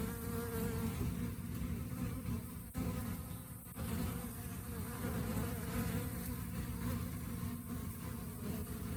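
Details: Honey bees in the rainy season giving a steady low droning hum, with a brief dip in the sound partway through before the buzzing resumes.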